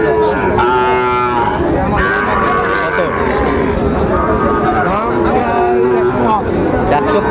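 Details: At Raniganj market in Dinajpur on 2 May 2024, Sahiwal bull calves give several drawn-out, throaty moos, one early and others near the end, amid loud bargaining voices and general market chatter.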